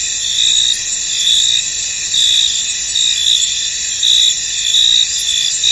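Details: Many crickets call together in a mist-covered field, a steady sizzling high chorus punctuated by louder tonal trills that surge and fade about once a second.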